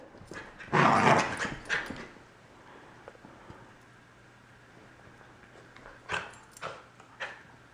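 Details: Corgi puppy, a little male, disliking a new collar at home; one loud drawn-out whining vocalisation at the start, then quiet, followed by three short yips near the end.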